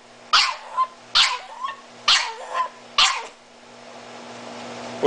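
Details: Blind, disabled Miniature Italian Greyhound screaming for mommy: four short, harsh, high yelps with brief tails in the first three seconds, then near-quiet hum with a rising hiss.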